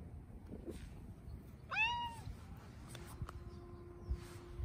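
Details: Bengal cat in hot weather uttering a single brief meow, an arched, bright cry of under half a second, amid low steady background hum with a faint tone and a couple of soft knocks.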